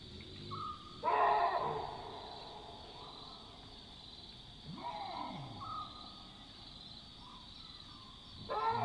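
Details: Alarm barks of Chacma baboons, alerted to a nearby predator at night in the African bush. A loud, rough bark near one second, a softer one near five seconds and another at the end, separated by steady insect drone and a faint whistled tone.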